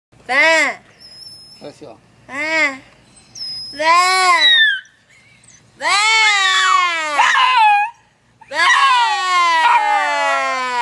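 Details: A pet Chihuahua "singing" indoors: a run of short, tonal yelps, then longer wavering howls that slide up and down in pitch, rich in overtones, separated by brief pauses.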